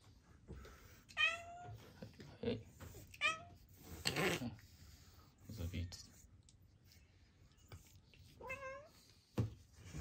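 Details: Rescued female cat, shy and fearful of people for six years and diagnosed with a congenital heart condition, indoors in Japan; three rising-falling meows with clear harmonics, between soft household noises and quiet human voices.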